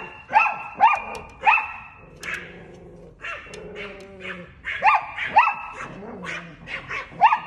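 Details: Chihuahua barking at a cat, sharp high yaps in pairs and short runs, with whiny drawn-out tones in the pauses and a woman talking softly in Thai.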